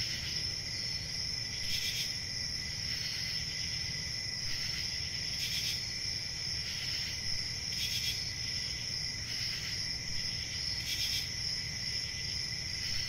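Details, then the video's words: Steady high cricket trilling runs throughout, swelling into short bright bursts about every two seconds, layered over a lower secondary band and a quiet low-frequency rumble. "1 Hour of Cricket Sounds"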